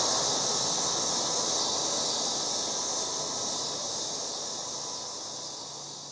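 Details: Loud cicadas in a yard in August, a dense, continuous high-pitched buzzing hiss that holds steady throughout and eases off slightly toward the end, with no other clear sounds.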